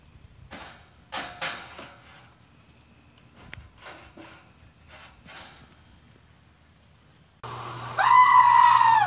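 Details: Dwarf goats in a playful cage match: dull thumps and knocks are heard first, then after a quiet stretch comes a loud, wavering, nasal bleat.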